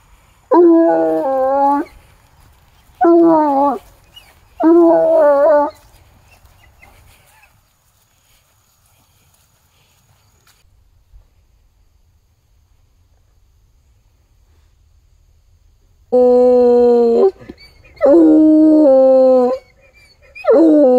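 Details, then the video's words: A male Bluetick Coonhound, tracking a scent on a walk all the way to a tree in the woods, bays in long, deep, drawn-out bursts with a quiet pause between groups. "Bluetick Coonhound on a Scent"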